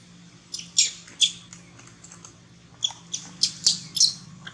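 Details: Baby monkey crying and begging for milk as its mother tries to wean it: a run of short, shrill, high squeaks in two loose bursts, several sharp notes close together, over a low steady hum.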